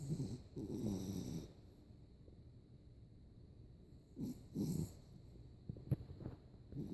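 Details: Yorkshire Terrier snoring while asleep with eyes open and tongue out; low rumbling snore bursts about every three to four seconds, each a rough nasal rattle, with a quiet pause between breaths.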